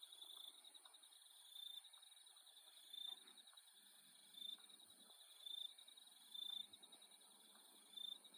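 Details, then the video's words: Nighttime insects in Australia keep up an unbroken shrill buzzing chorus. Louder bursts of a high chirping trill stand out roughly every second and a half against the steady high whine. "Australian Nighttime Insect Sound Effect"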